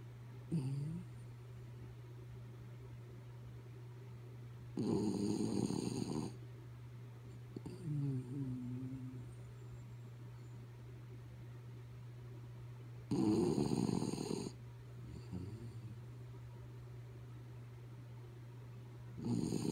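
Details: The dog Kaya Boo, fast asleep, gives two heavy gravelly snores roughly eight seconds apart, interspersed with softer wheezy, faintly whistled breaths and a constant low background hum.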